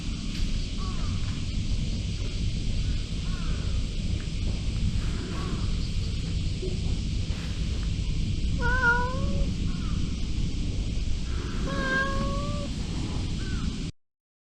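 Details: A cat gives two drawn-out, clear meows several seconds apart, with fainter mews earlier, over a steady low rumbling background noise.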